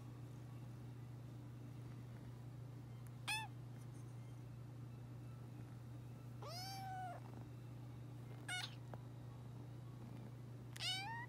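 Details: Three-month-old kitten giving four short, high, thin meows spaced a few seconds apart, the second longer and slightly falling, over a steady low electrical hum.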